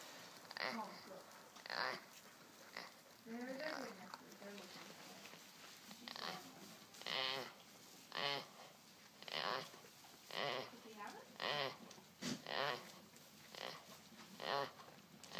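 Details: Male Boer goat making strange noises while asleep: rough, breathy bursts with faint tonal overtones, repeated roughly once a second in a steady rhythm, some louder and more voiced than others.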